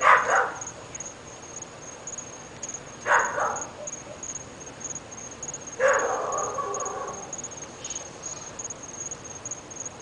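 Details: Dogs from a household of three in North Bay Village, said to bark morning, noon and night: three loud, harsh barks spaced about three seconds apart, the last trailing into a longer rough yelp, over a steady high hiss.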